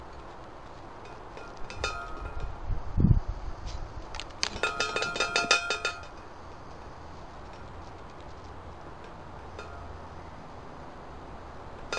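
Light clinking and ringing taps with a dull thump, over a low background rumble; no animal voice.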